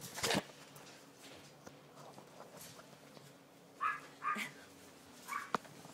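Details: Poodle puppies indoors give a few short, high whimpers and yelps, each under half a second, spaced about a second apart late in the stretch, with quiet room noise between them.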